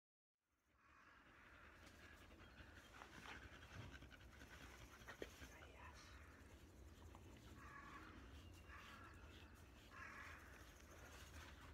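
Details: Black Labrador Retriever named Bee panting while being brushed during its shedding season, loose undercoat coming out; steady rapid breathy huffs, roughly three or four per second, with brushing scrapes and soft indoor room noise.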